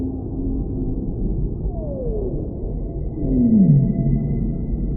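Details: Whale song with two clear falling glides, the second louder and ending in a deeper swooping note, set against a continuous low rumbling sea background and a faint high steady tone.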